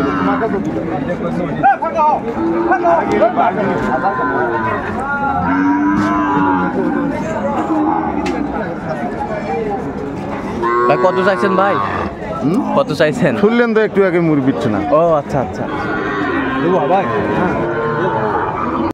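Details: Lowing from Sahiwal bull calves at the Ambari haat, Dinajpur, Bangladesh, 11 March 2024, early Ramadan: several drawn-out moos with wavering pitch, clustered in the second half, over dense human chatter of a busy market crowd.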